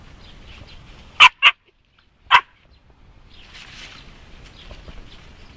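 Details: Siberian Husky puppy, three and a half months old, barking while meeting a hedgehog for the first time. Three short, sharp yelping barks: two in quick succession, then a third about a second later, over quiet background hiss.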